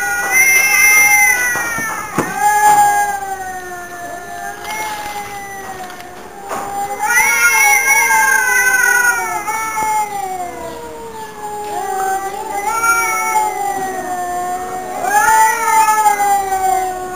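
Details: Two domestic cats singing together at home, long wavering yowls that rise and fall in pitch, several drawn-out wails with short pauses between, overlapping moans, faint room noise.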